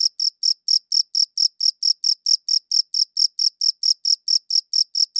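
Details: Crickets chirping, captured on a high-quality audio recorder: clean, high-pitched pulses repeated about four times a second in a steady, even rhythm, with no other sounds.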